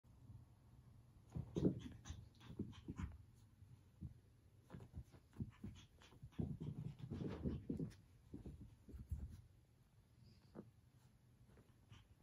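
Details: A puppy trying to get his favorite toy back from his cat brother gives soft, breathy, low-pitched panting in uneven bursts, with quieter pauses between them. No other clear sounds.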